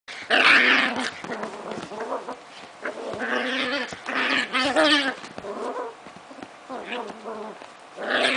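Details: A Chinese Crested and an Italian Greyhound play together, trading rough, rumbling play growls broken by sharp yips and barks.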